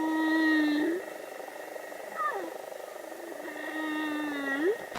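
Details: Humpback whale. A humpback whale moans in drawn-out, rich tones that waver and slide downward, then lift at the end into a short rising whoop. The cries have a plaintive, sobbing quality, with a faint hum of background noise throughout.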